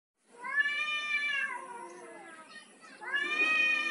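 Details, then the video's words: Male domestic cat trying to dominate a female: a long, drawn-out wailing meow that rises then slowly falls and fades, followed by a second strong, rising yowl. "Male cat trying to dominate over its female counterpart."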